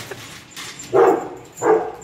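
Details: Rottweiler Efe at play with an elderly man indoors while chewing a bone; two short, deep barks about 0.7 seconds apart, with a faint steady high whine in the background.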